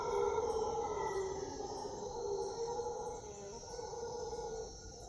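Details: Howler monkeys in the jungle at Puerto Viejo, Costa Rica: a sustained, droning chorus of deep roars that swells and fades over five seconds, with a thin, steady insect hiss high above.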